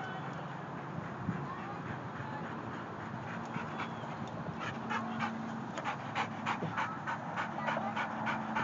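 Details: Molly, a three-year-old white Labrador Retriever, plays at a dog park in San Diego; rapid rhythmic breathy panting bursts, about three per second, grow clearer in the second half over steady background hum and a low engine drone.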